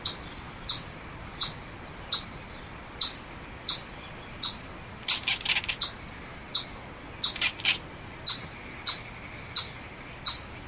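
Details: Steady series of crisp, high-pitched chipmunk chirps, around fifteen short clicks spaced about every seventh-tenths of a second, broken twice by brief flurries of softer, jumbled chattering notes.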